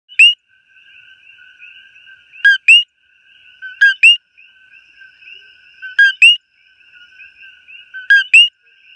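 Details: A coqui frog in Hawaii, recorded up close, repeats its piercing two-part call, a short low 'co' then a higher, upslurred 'qui', roughly every two seconds, over a steady chorus of more distant coquis.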